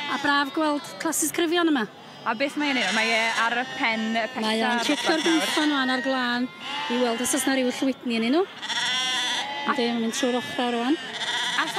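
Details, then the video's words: Flock of Welsh Black Mountain sheep calling together: long, quavering bleats overlap one another, some dipping and rising sharply in pitch, with brief pauses between bursts. "Defaid Mynydd Cymreig Duon | Welsh Black Mountain Sheep"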